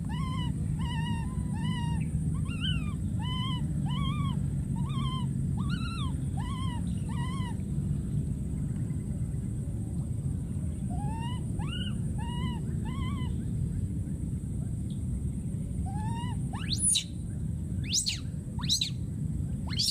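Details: Wild infant monkey screaming for his friend, repeating bright arched cries roughly twice a second, a pause, then another shorter volley, ending in sharp clicks against a steady deep rumble.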